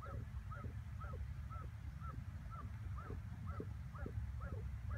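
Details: A working terrier yaps in a fast, steady series of short, high barks over a low rumble as it slides in on a groundhog, 21 May 2017.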